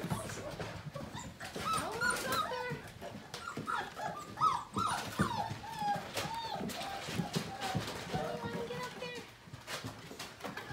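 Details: Portuguese Water Dog puppies from one litter, just over five weeks old, playing together in the morning; overlapping squeaky whines, short yips and small growls come in quick bursts amid scuffling and clicking noises.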